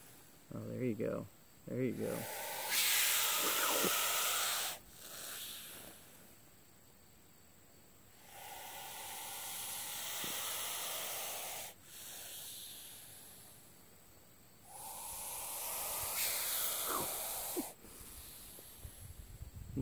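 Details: Missouri cobra, a harmless hognose snake, hissing in a cobra-like defensive display; several long breathy hisses of two to three seconds each come in bursts separated by quiet pauses, with a man's voice at the start.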